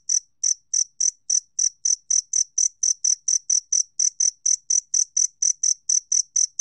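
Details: Two-spotted cricket producing very evenly spaced, high metallic chirps, a regular pulse of about three per second sustained throughout with no background noise.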